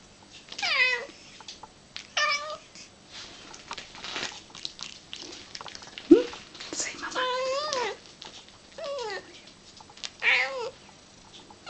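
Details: Pet cat excited for her favourite meal, tuna mixed with cat crunchers, repeats short rising-falling meows about five times, each a nasal two-part "ma-ma"-like cry. A sharp knock and soft background rustling and hum sound between them.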